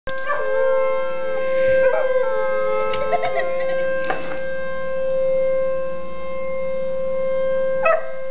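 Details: A new male Weimaraner puppy howls for the first time in wavering, rising and falling notes, joining an obnoxious siren at a power plant heard as a steady mechanical tone.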